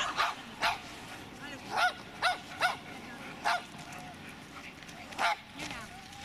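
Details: Dobermann Magmar Von Der Burgstätte barking in a training session: about eight sharp, clipped barks in irregular bursts over six seconds, some in quick pairs, with a human voice talking between them.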